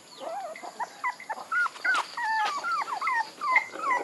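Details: Puppy whimpers, soft and thin, come as short bent whines and squeaks in an irregular patter of several per second.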